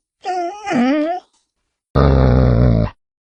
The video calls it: LADRIDOS Y SONIDOS DEL PERRO - The dog barks and sounds-